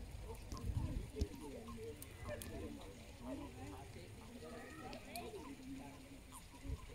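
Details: Mating common toads in the water during the spawning season, smaller males riding on the females' backs, give soft, rapid, overlapping croaks in a low chattering chorus.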